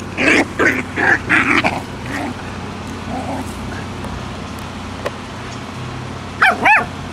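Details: Puppies yapping: a quick burst of about six short, sharp yips crowds the first two seconds, a quiet stretch follows, then two high, rising-and-falling yelps close out the moment.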